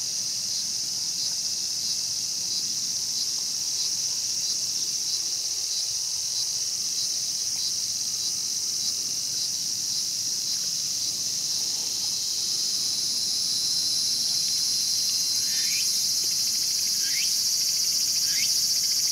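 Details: Cicada drone in Tokyo's Showa Kinen Park, 2020, where a mantis was preying on a cicada; a long, steady shrill hiss swells slightly toward the end, with a few short chirps near the finish.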